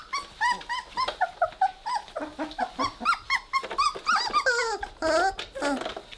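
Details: Weimaraner puppies, three weeks old, playing indoors with a steady stream of high whining squeals and little grumbling growls, several calls each second, overlapping at times as the litter tussles.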